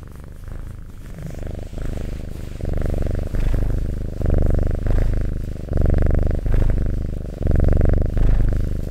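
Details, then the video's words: Domestic cat purring steadily, close and loud: deep buzzing rumble rising and falling in regular phrases of roughly a second, each inhale and exhale audible as alternating swells. "Purring Cat ASMR"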